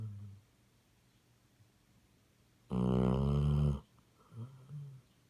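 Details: A Basset Hound's deep, buzzy snore rasps for about a second, then a soft, short exhaled rumble follows in a quiet room.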